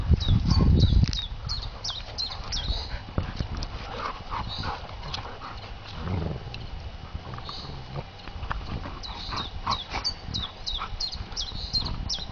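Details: Golden retriever dogs in a play fight, caught unawares outdoors after garden and woodland play; a loud low growling burst opens, followed by quieter scuffles and steady twittering birdsong above.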